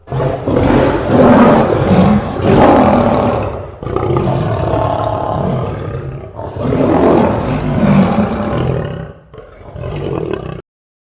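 A lion roars in long, deep, rasping bursts separated by brief pauses.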